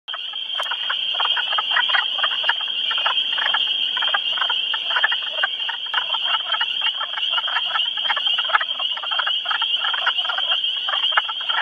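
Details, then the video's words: Wood frogs calling at a vernal pool in early spring during breeding season, with frogs in amplexus: dense, rapid clucking croaks repeated throughout, over a steady high-pitched shrill chorus of spring peepers. "spring is stepping onto the stage you can hear plenty of wood frogs behind me and of course spring peepers."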